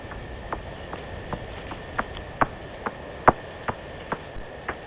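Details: Bats calling in the African wild, recorded by the Djuma cam on 7 February 2018: short, sharp pinging clicks repeated about once a second at an uneven pace, some louder than others, above steady background hiss.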